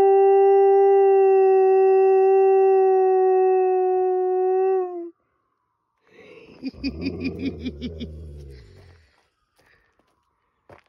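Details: Female dog howls wolf-style along with a fire truck, one long, even, mid-pitched tone that breaks off abruptly, followed by a person talking quietly.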